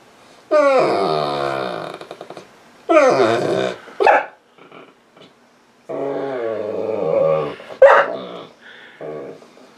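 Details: Female pet Saint Bernard lying on a couch, crying for attention and trying to get petted, sounding much like a baby: long drawn-out whining moans with falling pitch, two extended cries, then shorter broken whimpers and a brief high yelp.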